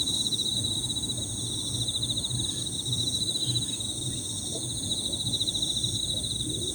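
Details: Several Emma field crickets chirp together in a high, overlapping trill near the top of the range, a continuous shimmering band with fainter higher insect tones above and low rumbling background noise beneath.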